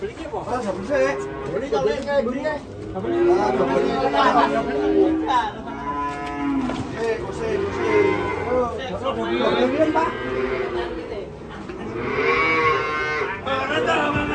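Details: Rampaging cow falling into a ditch while coming down from a truck: several drawn-out, harmonic moos overlap with excited human voices and crowd chatter throughout.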